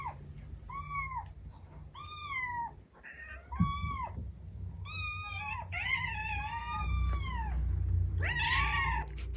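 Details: Recorded kitten-age meows of Tsukushi, a female white-and-tabby cat now two, played indoors to the household's other cats, who gather. About eight loud, arching, harmonic meows follow one another, some overlapping near the end, over a low room hum.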